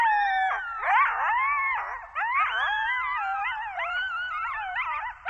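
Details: Coyotes in Zion National Park in a yipping chorus: several overlapping wavering howls and quavering yelps that slide up and down in pitch, with a short pause partway through before the chorus resumes.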